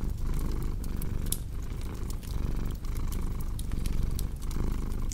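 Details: Domestic cat purring in a steady, low rumble that swells and eases with each breath, overlaid by sharp pops and crackles from a fireplace indoors.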